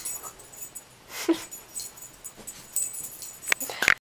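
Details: A Miniature Pinscher trying repeatedly to get onto a couch gives brief, thin whimpers and soft squeaky whines among scuffling noises.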